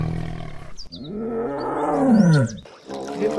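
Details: Tiger giving a deep, drawn-out roar that swells and then falls in pitch over about a second, preceded by a lower rumbling growl, with a brief fainter growl trailing after.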